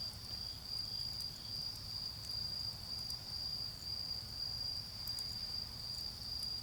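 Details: Autumn insects chirp in a garden beside a bonfire. A high, steady trill pulses in short bursts with brief gaps, while crackling fire snaps and a low rumble sit underneath.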